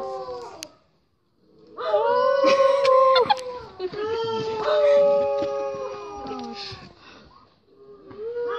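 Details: New Guinea singing dogs howl together in sustained, wavering tones that overlap and slide in pitch.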